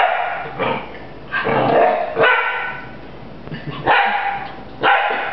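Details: A puppy called Rafiki barks at a broom it is fighting: a handful of harsh, drawn-out barks about one second apart over a low room hum.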